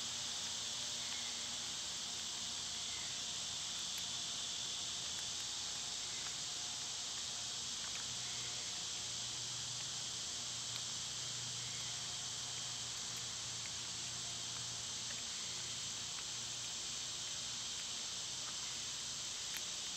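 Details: Summer cicadas in full chorus, loud at this time of year: a steady, unbroken high-pitched hiss-like drone holding for twenty seconds without pause, with a faint low hum underneath.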